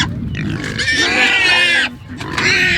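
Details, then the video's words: Food-crazy homestead pigs, about to be moved to a fresh paddock at chore time, squeal loudly and aggressively in the background in long, harsh, strained bursts with brief breaks between. "You can hear these pigs in the background. They're getting very aggressive."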